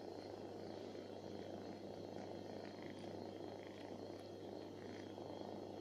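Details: Pamuk, a stray cat living on the street, lies on a person's lap as she always does when falling asleep there, as if taking the person for her mother. A steady, low, rumbling purr runs throughout over a constant background hum.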